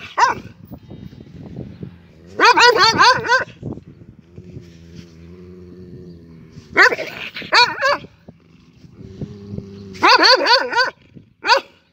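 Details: An angry dog barks in quick harsh clusters of four or five, with low rumbling growls filling the gaps between bursts.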